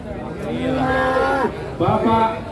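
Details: Very large cattle being weighed in front of a crowd: a loud, deep, richly harmonic moo held for about a second and a half, dropping at its end, then a second moo starts after a short pause; faint voices behind.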